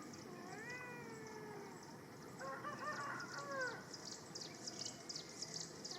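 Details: Two kittens outdoors climbing a tree: thin, drawn-out falling meows, then a cluster of overlapping higher mews, against steady outdoor hiss and a chorus of buzzy insect or bird-like pulses high above.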